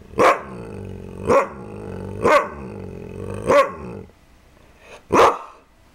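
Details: Kaiser the pet dog barks repeatedly, about one loud bark per second, pausing briefly before a final bark, over a low background hum.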